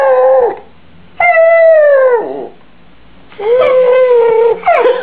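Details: Indoor howling from Benji, a pet Yorkshire Terrier: three long tonal wails, the middle one sliding steadily downward, separated by silent pauses of about a second.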